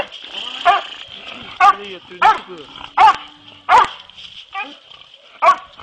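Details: Hunting dogs in training for boar hunting, giving loud harmonic barks and yelps in an irregular series of about eight over six seconds, with a steady high whine or hum in the background.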